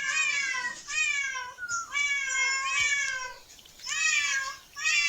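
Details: Cats exploring a park. Three long, steady meows, each lasting about a second, have a level, slightly descending tone and are separated by short quiet gaps.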